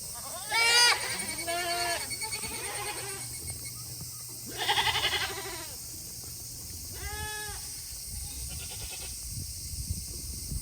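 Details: Tokara goats on a farm in Himi, Japan, calling on a hot August day while waiting to return to their shed; several harmonic bleats, some loud and wavering, others fainter, with gaps of quiet farm background between.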